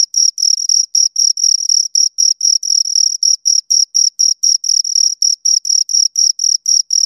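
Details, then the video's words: Two crickets chirping continuously, a high, pure trilling tone in short rapid pulses, about four bursts per second, steady and loud with no other sounds behind it. "Two Crickets Chirp Sounds"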